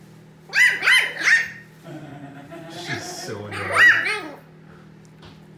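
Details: Playful pug puppy and his big brother pug indoors; a cluster of three high yelping whines, a muffled growly scuffle, then another yelp, steady low hum beneath.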